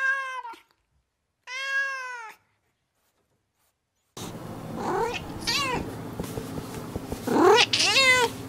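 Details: Domestic cat with two clean, short meows, then a pause, followed by several quicker, wavering meows over a noisier background.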